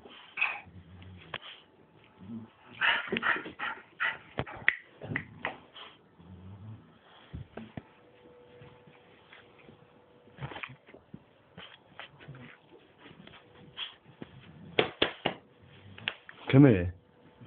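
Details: Indoor play between two male dogs, a bulldog and a Staffordshire bull terrier named Bruise and Winston: scattered scuffles, snorts and soft grumbles, a few sharp yips, ending in a loud squealing yelp, with a person speaking before.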